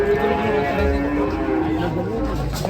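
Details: A sustained cattle moo with clear harmonic layers held through most of the moment, slightly wavering in pitch, over a constant low background hum.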